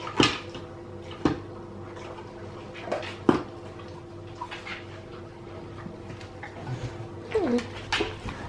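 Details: Hetu, a hungry Alaskan Malamute, vocalises indoors at feeding time, begging for food; a brief sliding, whining cry late on follows sharp clatters and knocks of dishes and cupboards in a small room.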